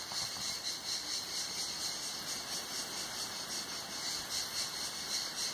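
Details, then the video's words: Hot-summer cicada song at Tenuta Zimarino, listened to under a mulberry pergola: loud, high, continuous buzzing with gentle regular swells in volume and nothing else clearly audible. "il canto delle cicale"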